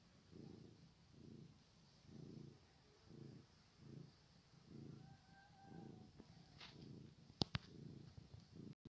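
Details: Young cats purr in a low, throbbing rumble, each breath giving a distinct pulse roughly every second; a brief faint whistle-like tone appears midway, and a couple of sharp clicks sound near the end.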